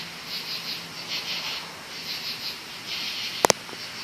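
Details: Many loud crickets calling at night in woods, their high, pulsing trills rising and falling in steady waves as an unbroken chorus, with two sharp clicks near the end.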